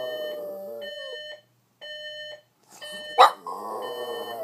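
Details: Lucy, a Boston Terrier who dislikes the alarm clock, whines and gives one sharp bark over its steady beeping; Boston Terrier.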